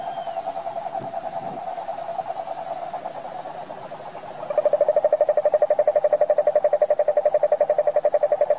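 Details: Toad calling in a steady, rapidly pulsed mid-pitched trill that runs without a break. It grows noticeably louder and sharper about halfway through, over faint background hiss.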